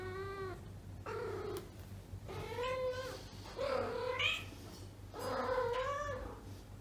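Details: Female house cat in heat, not yet spayed, calling while looking for love indoors: five long, quavering meow-yowls, some bending upward at the end, separated by short pauses against a constant low background hum.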